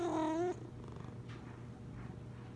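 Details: A single loud, clear meow from the big Maine Coon Sean Coonery, lasting half a second and slightly wavering, followed by quiet room noise and a soft steady hum.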